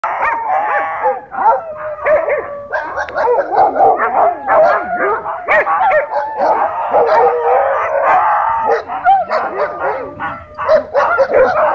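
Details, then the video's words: Several dogs at a dog park, tense after owners kept them leashed inside, bark and snarl in a dense, continuous overlapping clamor during a dogfight, with barely a pause across the whole stretch. "Airhorn Breaks Up Dogfight"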